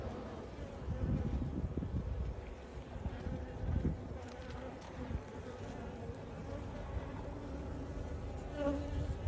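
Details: Honey bees flying in and out of their hive, carrying pollen; a steady low droning hum of many wings fills the clip, with faint soft rustling in the background.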